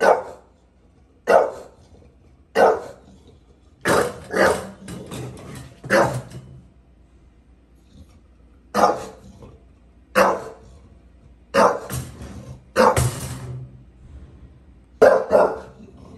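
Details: A bulldog in New York City barks at a gate: a long run of sharp, harsh barks, some single and some in quick pairs, roughly one every second, separated by short silences.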